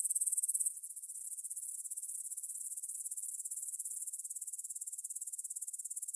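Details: Grasshoppers stridulate at 9pm on 6 September 2020 in a field by the Svensky monastery, Bryansk, Russia, on a Tascam DR-44WL: a loud, high rasping burst, then a quieter, evenly pulsed trill continuing steadily.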